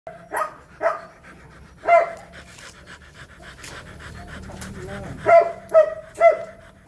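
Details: Rottweiler during mating: short nasal whines in separate bursts, a couple near the start, one near two seconds, then three in quick succession toward the end, with faint rustling between them.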